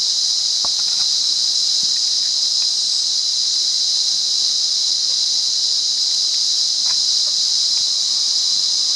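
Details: High, even droning buzz of a wild cicada in Monaragala, Sri Lanka, sustained without variation, accompanied by occasional brief clicks and light rustling underneath.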